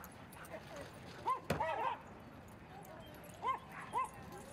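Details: Dogs playing at Seal Point Dog Park on a sunny Thursday, where Rocky romps with an old playmate; a few short, arched, mid-pitched yips sound in pairs and singles over a steady outdoor hiss.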